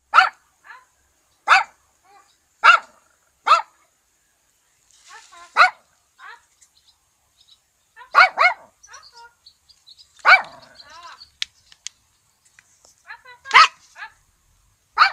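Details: An old dog barking for no reason: sharp, short barks repeated at irregular intervals of about one to three seconds, some in quick doubles, with brief faint sounds between them.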